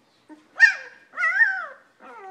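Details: German Shepherd pups almost two weeks old, snuggling in to sleep: two drawn-out, wavering whimpers, the second a long rising-then-falling whine, followed by the start of a third.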